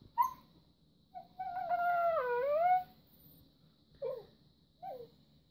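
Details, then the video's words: Talkative red Siberian Husky female loudly demanding treats indoors: a brief yip, then a long, rich, howl-like 'woo' that dips and rises over about a second and a half, followed by two short yelps. "Red Siberian Husky : Naughty Nenya Wants Treats"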